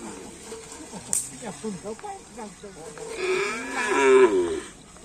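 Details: Cattle at karapan sapi bull racing training on the Asemanis field, preparing for a race event; a long, wavering, harmonic-rich moo rises near the end, after a series of short knocks and clatter over background noise.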